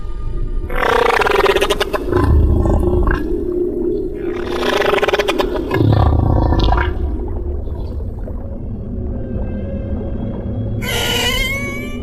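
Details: Humpback whale song, the sound of older, larger males: long, moaning, harmonic-rich cries that swell and fade over a few seconds each, then a higher rising wail near the end, over a low droning musical background.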